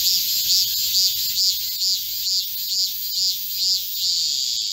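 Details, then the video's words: Korean cicadas singing in a green forest at midsummer, 25 July 2024, in a heatwave. Regular swelling, arching pulses repeat about twice a second above a constant shrill buzzing chorus. "Korean cicadas, a chorus in a midsummer green forest | 한국 매미들의 한여름 초록 숲속의 합창"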